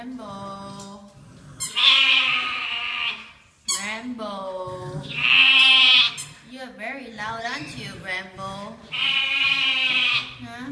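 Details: Pet lamb named Rambo baa-ing in response to his name and his owner's voice: three long, loud, wavering bleats at roughly four-second intervals, rich and nasal, with a person's speaking voice between them.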